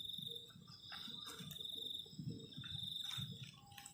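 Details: Cold-night crickets near a garden shelter make a sustained high trill in short pulsed runs, accompanied by soft low thuds and clinking from camp cooking.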